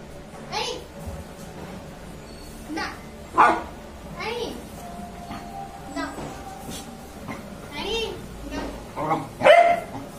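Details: Labrador Retriever during the Diwali festival, giving sharp single barks spaced every one to two seconds, with a steady tone and background voices.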